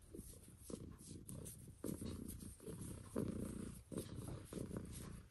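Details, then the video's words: Purring from Mitsu, a female house cat, recorded close for ASMR: steady low throaty rumble broken into breath-length phrases, with faint scratching and rustling clicks around it. "CAT PURRING"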